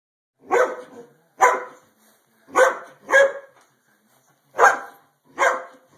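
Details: Greyhound giving six loud, harsh barks spaced roughly a second apart, each ending abruptly, with silence between them.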